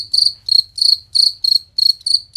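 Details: Jangkrik song recorded as a master for training champion competition birds: about seven piercing, high, trilled chirps across two seconds, each a quarter-second pulsing burst, evenly spaced, over a faint low hum.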